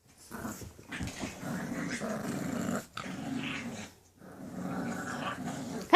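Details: English Bulldog puppies growling in low, rough rumbling bursts, two long growls separated by brief pauses, indoors in a small room.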